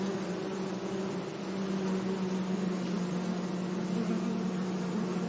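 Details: Bees in a sunny flowering meadow, one strong, steady low-pitched hum carrying throughout over a constant wash of background noise.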